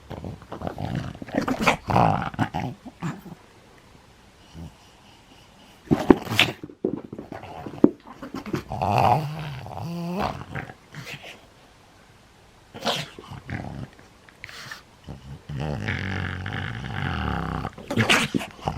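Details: Nine-year-old pug in Japan growling during play, recorded January 11, 2020; low rumbling growls in several long stretches broken by pauses, with sharper noises around the sixth and eighth seconds, heard in a small indoor room.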